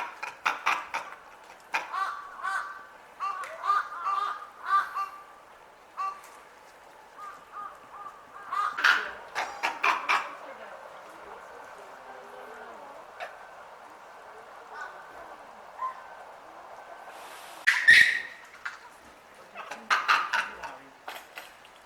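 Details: Japanese macaques crying out at Asahiyama Zoo in Hokkaido: repeated short wavering calls in clusters, with intense piercing shrieks bursting out around the middle and again near the end, separated by quieter stretches.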